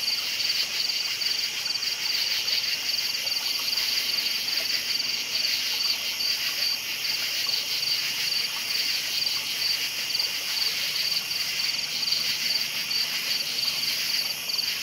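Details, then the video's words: Night chorus of crickets, a constant shrill chirping with fine rapid pulses in a high band and a softer hiss above, unbroken and even in loudness. "Night Sounds Crickets Chirping"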